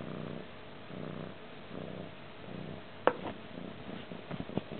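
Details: Purring from a stray cat indoors in a Manilla crash pad, recorded 20 February 2011; the low vibrating hum swells and fades in even cycles under a second apart, broken by a sharp knock and light tapping.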